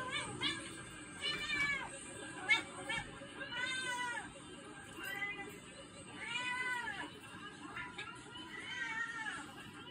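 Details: Angry kitten waiting for its owner to come home from work, giving a series of drawn-out, arching meows, about five or six calls spaced irregularly over ten seconds, each rising then falling in pitch, with a quiet indoor hum behind.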